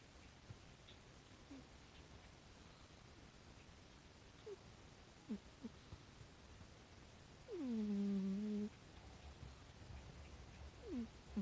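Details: A rescued pet cat snoring quietly at home, with faint scattered little squeaks, then one low, even, hum-like snore lasting about a second that dips slightly at its onset before holding steady.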